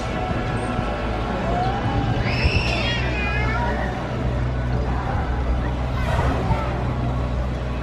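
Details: Killer whale (Orcinus orca) at a modified training show at SeaWorld San Diego's Orca Encounter, March 2023, gives a brief, high, wavering whistle with bright overtones above a rumbling crowd; the show featured a large male.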